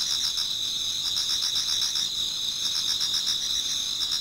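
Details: Many autumn insects singing in a Japanese garden towards dawn: dense overlapping high trills with a steady band and rapid pulses about four per second, a chorus of several callers without a single dominant voice.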